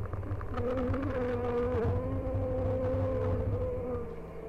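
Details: Hive-check honey bees on "The Mountain", 22/6/29, colonies busting with honey; an even, sustained buzzing drone with slight pitch wobble, constant low rumble underneath.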